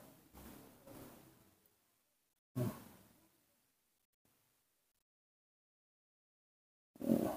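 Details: Short bursts of rustling and thumping handling noise are separated by stretches of near silence, with no animal call.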